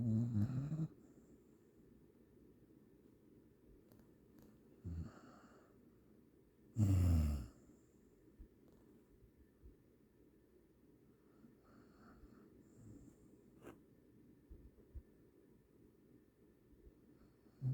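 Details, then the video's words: Sleeping dog snoring indoors: two deep, low rumbling snores about six seconds apart, the second longer and louder, with long quiet stretches and faint clicks between. "Snoring dog"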